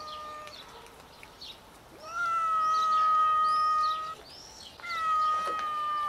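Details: Four scared homeless cats gathering for food outdoors: a long, steady, level meow held for about two seconds, then a second drawn-out meow, with small birds chirping in the background.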